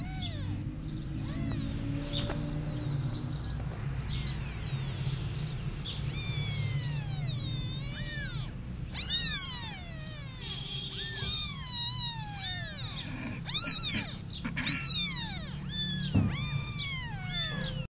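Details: Kittens crying for their mother cat, who is running away from them: after a quiet low hum, a burst of thin high mews, arched and repeated rapidly in clusters, with several callers overlapping.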